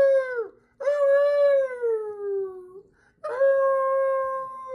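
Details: Chihuahua dogs kept by an aunt give drawn-out howls, one long wail sliding slowly downward in pitch, then a short pause and a fresh, level howl starting again, with a faint steady hum in the background.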